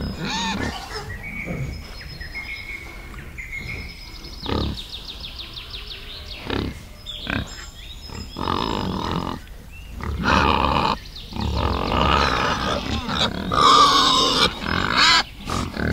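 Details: Wild boar and piglets in a forest: sparse grunts and short squeals early on, then a noisy, continuous chorus of squealing from about ten seconds onward.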